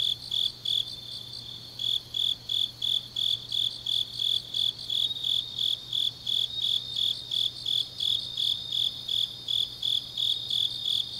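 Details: Deep autumn night in Changnyeong, South Gyeongsang, Korea, where grass insects keep up a shrill, regular pulsing chirp, near three pulses a second, with a fainter second caller higher up and a steady low hum.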